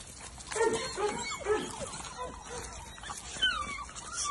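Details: Playing English Springer Spaniel puppies of almost two months give a string of short, bending whines and yips. One higher, thin squeal comes near the end.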